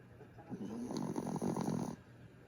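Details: Dozing dog named Grif lets out one drawn-out, grating snore lasting about a second and a half, coarse and buzzy, over a quiet constant hiss.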